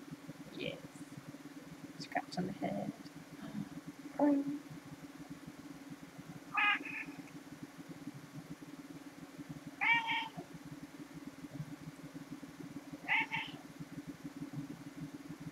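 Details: Relaxed domestic cats meowing repeatedly, clear harmonic cries spaced about three seconds apart, with a murmur of human voices early on and a constant low idling hum beneath.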